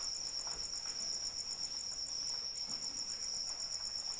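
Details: A cricket chorus in rainfall, from a calming sleep recording: a bright, high trill pulsing rapidly and regularly, several beats each second, with light rain hiss below.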